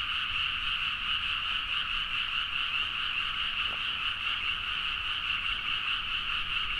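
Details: Midnight rice-paddy frog chorus in Nagaoka, Niigata, Japan, recorded with a Zoom H4n. Countless overlapping trilling croaks merge into an unbroken, evenly loud, shimmering drone of quick pulses.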